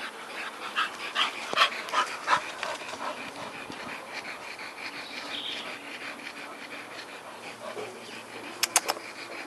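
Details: Old English Bulldogge panting: quick, rasping, breathy strokes at roughly two to three per second, fading midway, with a few sharp clicks near the end.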